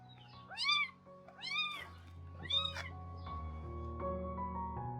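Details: A kitten, around nine days old, calls at breakfast time with three thin, high meows that rise then fall, over soft background music, and its mother cat hurries over from her meal to check on it.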